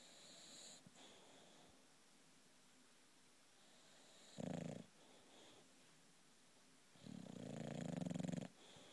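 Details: Sleeping British bulldog Loulou, a female pet, snores in a small room; a brief rough snort near the middle, then a longer buzzing, rattling snore toward the end, with soft wheezy breathing between.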